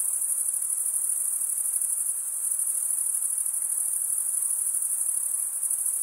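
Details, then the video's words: Cricket chirping created by stridulation, one wing's top drawn along the serrated underside vein of the other; dense, high, steady trilling fills the clip, its level gently rising and dipping, with low faint hiss only. "cricket sound"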